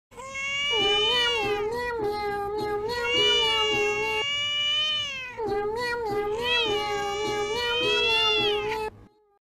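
A kitten gives two long, drawn-out meows, each wavering in pitch with rich harmonics.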